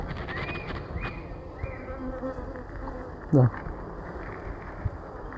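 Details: Honey bee colony being split after the queen is found; a dense, low droning buzz throughout, with a brief sharp sweeping knock near the middle and occasional handling noises.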